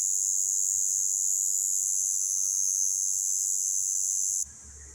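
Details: A cicada, seen in Romania and recorded up close, gives a loud, steady, high-pitched buzz that cuts off abruptly near the end.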